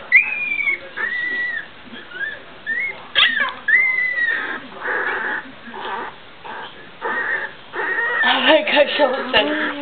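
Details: Pups of the 2009 litter of Guardian and Skye during their first steps and barks: high, arching whimpers and squeaky yips in uneven bursts, mixed with constant human chatter nearby.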